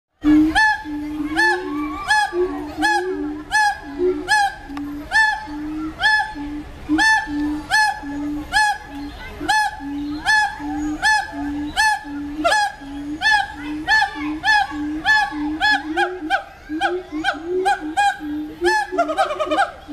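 Siamang calling: a run of loud, hollow hoots repeated about twice a second, each note full and ringing. Sharp clicking or barking sounds are mixed in with the series throughout.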